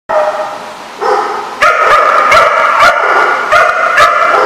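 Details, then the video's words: Dogs barking, recorded 17 October 2015: loud overlapping harmonic barks in quick bursts, several voices sounding together almost continuously, each burst a few tenths of a second apart. "The Barking Lot"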